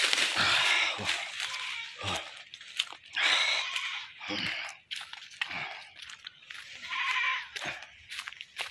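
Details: A caught goat, later slaughtered, gives strained, high bleats in bursts of about a second, separated by short pauses, amid rustling and scraping noise.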